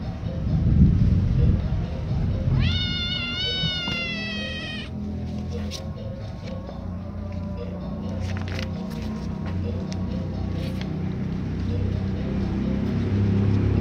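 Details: Kittens 27 days old give a single drawn-out, high, trembling meow lasting about two seconds. A strong low background rumble follows, with scattered knocks and thumps for the rest of the recording.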